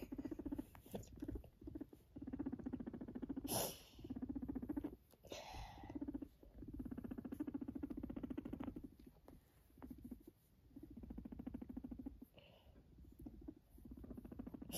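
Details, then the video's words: A pet guinea pig purring in long stretches of fast, low vibrating pulses, broken by a few pauses and brief rustling or handling noises. "Purring Guinea pig"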